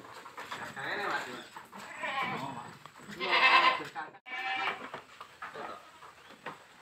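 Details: Boer goat on a village goat farm during crossbreeding with a young goat; short harmonic bleats rise out of a steady murmur of people talking nearby.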